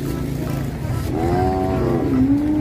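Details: Cattle unloading from a truck: a loud, drawn-out moo that bends upward and then settles into a steady low tone near the end, over engine rumble and people speaking.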